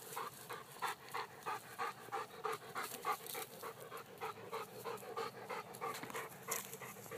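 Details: Weimaraners Fenway and Eban chasing balls at the park; fast rhythmic dog panting, about three breaths per second, steady and even over a faint background hiss.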